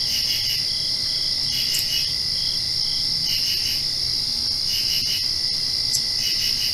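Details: Crickets chirp steadily at night directly after rain, a high, shrill, unbroken ringing trill with faint pulsing swells.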